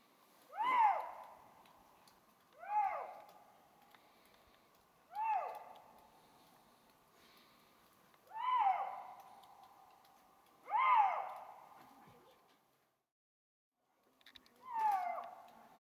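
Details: Eurasian lynx calling in Bavarian Forest National Park, Germany, late after sunset under overcast skies with snow showers setting in, voicing its mating call: six loud, drawn-out arched wails with rich overtones, spaced about two seconds apart, then a pause before the last.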